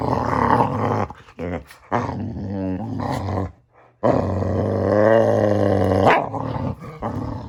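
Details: Samson, a Boxer dog, making funny sounds: long, deep, harmonic grumbling moans that rise and fall, broken by short gaps and a near-silent pause before a sustained drawn-out groan.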